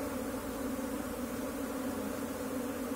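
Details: A swarm of Indian honey bees during colony collection, giving a loud, continuous droning buzz with strong, even low tones and a fuzzy upper hiss that holds steady without pause.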